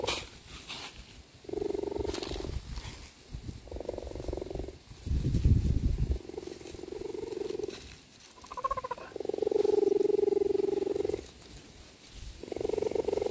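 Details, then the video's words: Captive cheetah mother calling her cubs to come outside and play. She gives repeated drawn-out tonal calls about a second long with short pauses between them, and a burst of rough noise in the middle. "calls her cubs outside"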